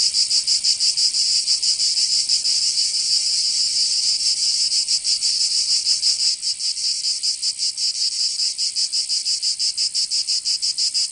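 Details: Cicadas singing in summer in Provence, southern France: a dense, loud, high buzzing chorus with rapid pulsing, several pulses per second, steady throughout with a slight easing in intensity midway; no other sounds stand out.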